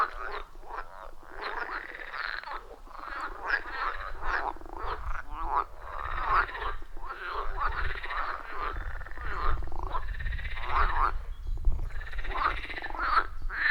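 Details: Frog chorus from a wild forest pond, iPhone 14 Pro and Shure MV88+ recording; many frogs give short overlapping croaks and trills continuously, above a steady low rumble.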